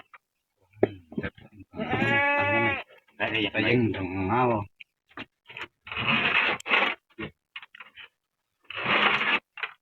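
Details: Goat bleating while its horns are being cut and it is held down tightly; a loud, wavering harmonic bleat near two seconds, then a second rougher one, with men talking throughout and clattering handling noises.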